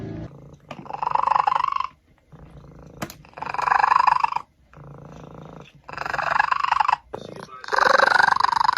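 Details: A domestic cat gives four long, rough, strained cries of about a second each, separated by short gaps, with a harsh growling tone throughout.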